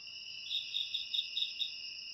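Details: Close cricket song, part of ASMR meant to drive off rats: a shrill steady trill with about five crisp pulsed chirps repeating roughly every quarter second over a quiet background.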